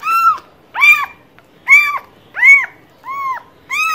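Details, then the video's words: Close, loud cat meows, five short arched calls spaced under a second apart, each bending up then down, with a faint click between them. "Cats Voice - Cats sound - Cats Meowing"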